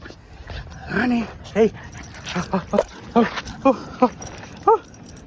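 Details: Dog out with puppies on a late-night stroll gives a run of about nine short, whiny yelping whimpers, each pitched and slightly bending, spaced roughly half a second apart. A man talks to the dogs in between.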